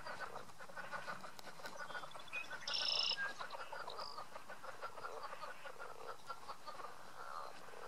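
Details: Chuckling leopard frogs in a drainage ditch at Goose Pond, Indiana, give a dense, irregular stream of throaty clucks. A brief high bird chirp cuts in near the middle.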